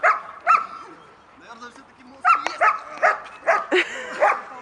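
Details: German Shepherd during protection training for the active-defensive reaction, holding a decoy: loud barks, a pair at the start, then a rapid run of five or six, with a steady tonal whine in the gaps.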